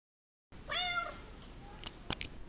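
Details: Indoor pet cat meowing as if asking to be petted: one short, clear harmonic meow that rises then falls, followed by faint room sounds and a few soft clicks.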